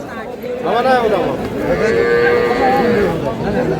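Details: A milk cow sold with her calf at Aftabganj cattle market in Dinajpur lows once: a short swell, then a long, steady moo of about a second, surrounded by the busy chatter of buyers and sellers.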